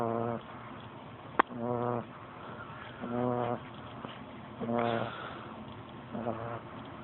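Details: A 13-week-old pug puppy snoring: short, nasal, rasping snores repeated roughly every one and a half seconds, each about half a second long, with a sharp click near the start and a person saying "ah ah" afterwards.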